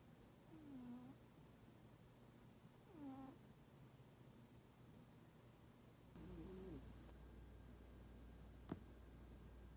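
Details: Toraji the standoffish pet cat asleep and snoring 'pū pū', giving three low, nasal whistling notes roughly every three seconds, the last one wavering, followed by a single sharp click near the end.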